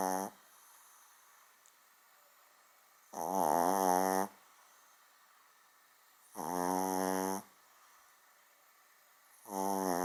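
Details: Indoors, a small dog snores like a large one. Each drawn-out, grating snore lasts about a second and recurs roughly every three seconds in a steady rhythm, with near silence in between.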